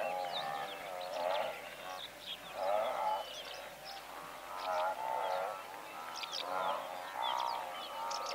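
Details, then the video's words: Medium-close calls from a herd of several hundred blue wildebeest: overlapping nasal, droning grunts in short bursts about every two seconds, while larks sing high, thin chirping phrases throughout. "Blue Wildebeest / MCU Calls From A Herd Of Several Hundred"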